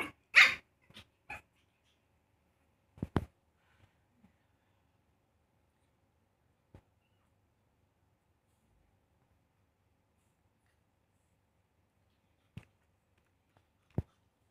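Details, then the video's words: Young pug giving a loud, high bark at the start, then a few softer yips, followed by long stretches of near silence broken only by brief clicks and taps indoors. "Cute Pug Puppy Barking"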